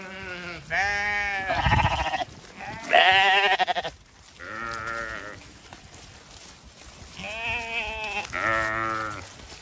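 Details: Zwartbles lamb flock being moved to a new field on a sunny autumn morning on a regenerative farm in County Kilkenny, Ireland; several loud, wavering, harmonic bleats overlap, with a farmer calling the flock and background music.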